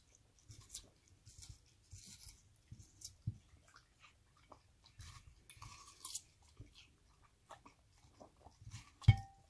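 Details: Kronos, an Australian Cattle Dog, crunching and chewing a cool slice of watermelon on a warm day; irregular wet crunches and soft low thumps, ending with one sharp click, in a quiet room.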